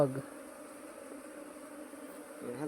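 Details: Honey bees: a steady low droning hum holds an even pitch throughout, with a man's voice briefly at the start and end.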